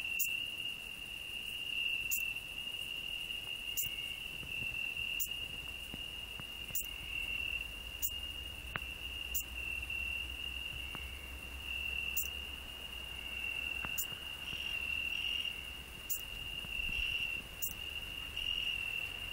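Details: Cricket on a rose bush, sharing it with a singing grasshopper, hedgehog resting underneath; continuous piercing trill without pause, punctuated by regular sharp clicks about every second and a half, over a low background rumble.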